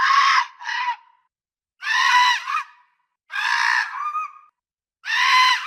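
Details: Fox, real recording, giving four harsh screaming barks, each about half a second to a second long with a raspy rising-falling tone, separated by short silences; no other sounds.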